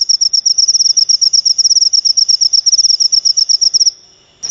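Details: Crickets chirping in a recording meant to repel rats and draw in lovebirds. The high, bright pulses come in quick clusters for about four seconds, then fall silent, and a brief rustle follows.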